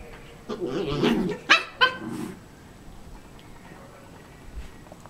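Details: Havanese dog after another dog's bone gives a brief grumbling whine, then two quick sharp yelps. Quiet room follows.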